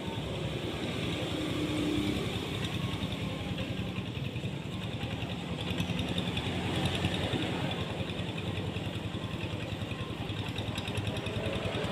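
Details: Steady engine and traffic rumble fills the recording, with no animal calls standing out.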